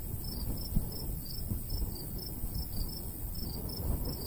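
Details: ['Crickets chirp in short, bright, evenly paced bursts a few times per second in summer countryside beside a golden wheat field, with a light breeze gusting low underneath.']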